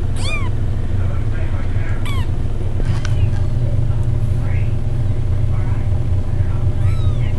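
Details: Two-week-old kittens giving thin, high arched mews, one at the start, another around two seconds and a last near the end, with fainter squeaks between, over a constant loud low rumble.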